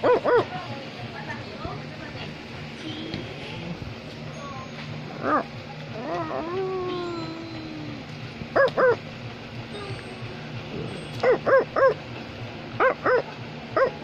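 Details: Wario, an Australian Labradoodle, gives scattered whines and sliding yelps early on, then bursts of quick doubled and tripled barks near the end, with faint voices in between.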